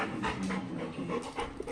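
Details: Labrador Retriever dog waiting in the evening for her sister to come home and showing love: quick, breathy, rhythmic panting in steady broadband bursts, with a few soft voices nearby.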